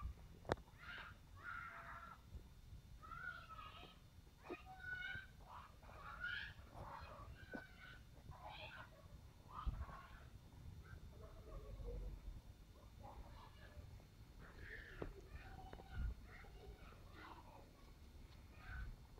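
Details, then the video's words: Sealyham Terrier puppies at playtime, giving a busy stream of short squeaky whines and yelps, rising and falling, overlapping one another for the whole stretch, with occasional soft thumps underneath. "Sealyham Terrier puppies"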